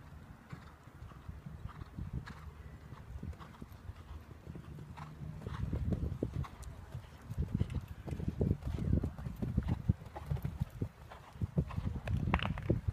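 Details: Mare's hoofbeats on her first round in a 90 cm show jumping class, ridden to a clear round; dull, irregular thuds grow louder and quicker midway, with brief faint voices.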